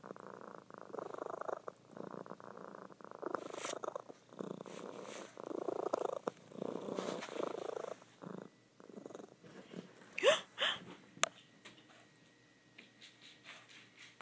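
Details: A female domestic cat purring loudly while asleep indoors: steady rumbling purr in rhythmic breath-paced bursts for about eight seconds, then fading softer with a few sharp clicks and rustles near the end.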